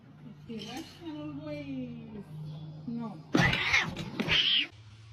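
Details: Domestic cat indoors in a funny-cat compilation, giving long, wavering, drawn-out meows that rise and fall in pitch, followed by a sudden loud, harsh burst of noise, with people's voices in the background.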